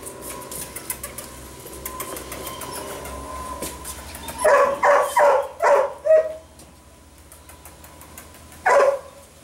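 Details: Mika, an eight-week-old sable female puppy, is quiet at first. Then comes a quick burst of five short, high, tonal yips, a pause, and one last yip near the end, over a faint indoor hum.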